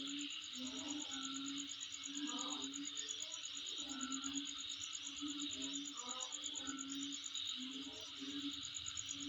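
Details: High, fast-pulsed insect song holds steady through the recording over a dense hiss, mixed with irregular low hoots and faint mid-pitched chatter.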